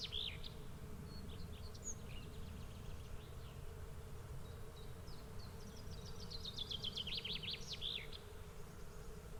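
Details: Bee swarm droning steadily and low throughout. Several bird phrases sit on top, with scattered chirps and then a fast run of repeated notes that climbs and swoops.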